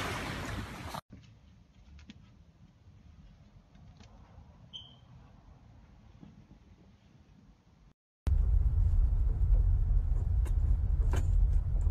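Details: Low indoor rumble with brief handling thumps and abrupt cuts, then louder broadband noise; no animal voice stands out.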